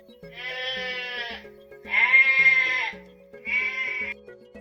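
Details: Sheep bleating three times, each a drawn-out wavering bleat of about a second, the middle one loudest, over steady background music in a children's animal-sound quiz.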